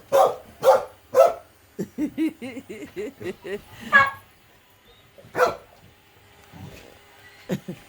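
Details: Little female dog barking at an automatic vacuum that scares her: three sharp barks open, then a person talks, followed by scattered single barks amid low household noise.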